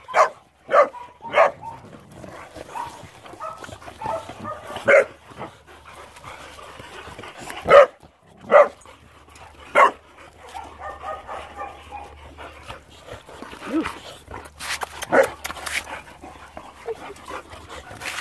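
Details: Boxer dogs playing together, giving short sharp bark-like yaps and rough growly bursts at irregular intervals, the loudest near the middle, with softer scuffling and low background noise between them.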